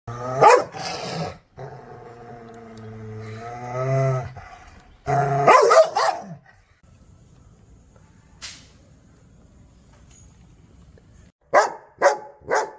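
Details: Angry dog giving sharp, loud barks in short bursts near the start, middle and end, separated by long, low, steady growls with a rising and falling edge.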